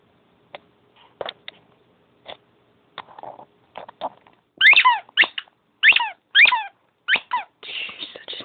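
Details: Sugar the dog, playful at bedtime, starts with scattered clicks and soft thumps, then breaks into a run of about six sharp, descending squeaky whimpers in quick succession, ending in a raspy whine.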